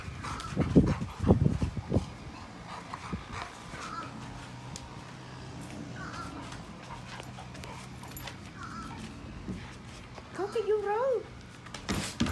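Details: Labrador Retriever dog giving a short whine near the end, a wavering tonal call that rises and falls in stacked tones, after a few low thumps early on, over steady background hum with faint chirps of small birds.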